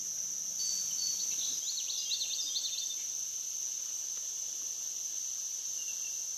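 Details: Cicadas along the Licking River in Morning View, recorded through the night from dusk to dawn: a high sustained whine persists while a quick series of swooping, chattering bird notes sounds in the first few seconds.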